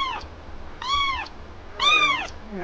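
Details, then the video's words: Sulky kitten, jealous over its owner's attention to another cat, gives three clear arched meows, each rising then falling, about a second apart, the last the loudest. "My jelous kitten got sulky when I was interested in another cat!"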